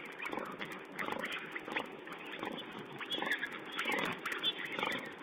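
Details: Wild boar piglets feeding at a camera site, recorded 16 April 2010: a steady jumble of soft grunts and short squeaky notes over a muffled, hissy background.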